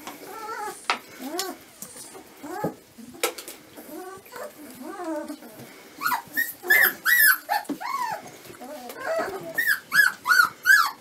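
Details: Whining Dobermann puppies aged 25 days: scattered soft squeaks at first, then a run of louder, regular high arched yelps roughly every half second in the second half.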